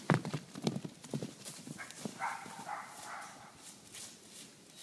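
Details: Horse: quick clip-clop hoofbeats at the start, then a drawn-out, even, harmonic whinny lasting about a second and a half, followed by soft shuffling.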